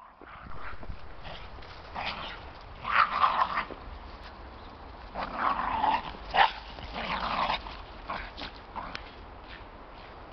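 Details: Xoloitzcuintle dogs out on a winter walk, giving short muffled barks in scattered bursts, the loudest near three, six and seven seconds, with outdoor background rumble between them.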